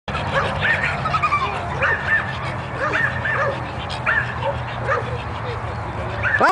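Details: Orkan, an American Pit Bull Terrier born 16 May 2006, barking during bite work at a June 2009 F.C.A. sports presentation; sharp barks repeat roughly twice a second throughout, over people talking and a steady low hum.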